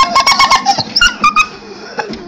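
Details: Dog giving a rapid series of short, high squeaky chirps and whistles that sound like a dolphin, some rising sharply, clustered in the first second and a half, with a person speaking quietly.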